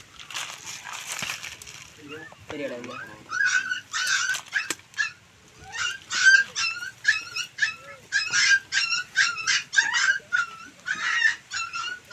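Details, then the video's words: Puppies thrown into a well at Ganapathipuram, crying at night while people rescue them. Shrill, high yelping cries come in quick bursts, several each second, overlapping as the pups call together. Voices are heard at the start. "இரவில் கிணற்றில் எழுந்த அழுகுரல் சத்தம்"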